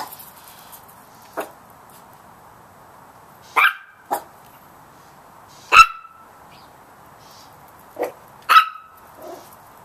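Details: High-pitched yapping from little Chihuahua puppies confronting a big cat: six irregular barks over about ten seconds, some clipped and short, others ringing slightly longer, with quiet hiss between.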